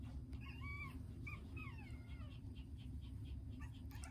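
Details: Round-bodied tiny poodle puppy whining: thin, high, nasal whimpers, some rising then falling, others sliding down in quick succession over the first two seconds, set against a steady low rumble like a running engine.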